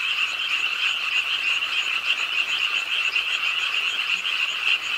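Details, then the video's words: Pond-side frogs in Ingye Art Park, Suwon, croaking as rain fell late at night, a high, unbroken, shimmering chorus of many voices with slight pulsing throughout. "비오는 밤 개구리소리, Do you hear the frogs? 비오는 밤 공원 연못 추억의 개구리 소리, Frog Sounds, 빗소리와 함께 듣는 개구리 우는 소리"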